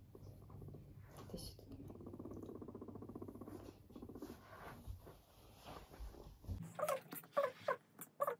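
A guinea pig purrs with a low, steady, buzzing rumble, with a person talking nearby.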